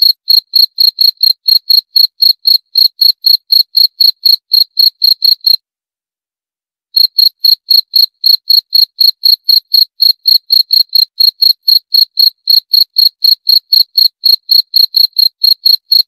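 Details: A cricket (jangkrik) chirps in fast, even, high pulses near four per second, falls silent for just over a second, then continues the same clean pattern. Nothing else is heard.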